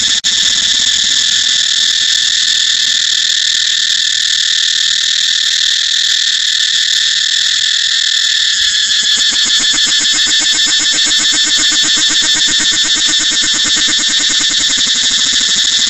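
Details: Cicada song: a loud, continuous high-pitched buzzing drone with bands near the top of the range, shifting after about nine seconds into a rapidly pulsing, throbbing rhythm that continues to the end.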